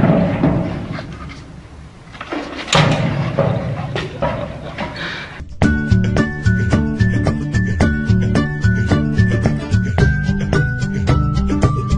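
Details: Rustling, thuds and a loud thump give way halfway through to upbeat music with a regular beat and bright synth notes; no animal calls.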